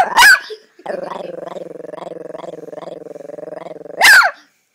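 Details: Pet Chihuahua barks once, then growls in a continuous buzzy rumble for roughly three seconds before a second sharp bark.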